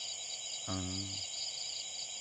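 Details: A tokay gecko on a roof, recorded October 27, 2021, gives a single low, croaking note over a steady background of chirping crickets.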